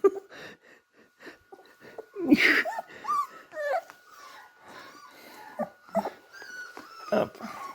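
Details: Several 3.5-week-old beagle puppies at play give high squeaky whimpers, short yips and little wheezy squeals in scattered bursts, some rising and falling, over a faint steady electrical hum.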